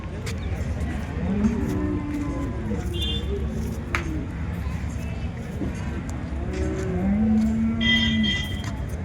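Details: At the Loni cow market on 30 December 2025, Holstein Friesian cattle give two long, even, low moos, one early and one late, over a steady background of talking people and market bustle.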